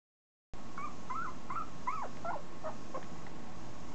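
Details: A 2.5-week-old Italian Greyhound puppy gives a short run of thin, high squeaky whimpers, each brief and slightly rising or falling, over a steady background hiss.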